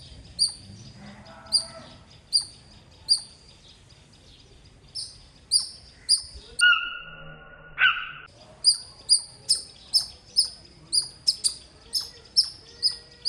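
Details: Loud squirrel chirping: sharp, high, bird-like chips repeated in quick rhythmic runs, roughly two to three per second, with a short steady tonal note in the middle and faint background noise.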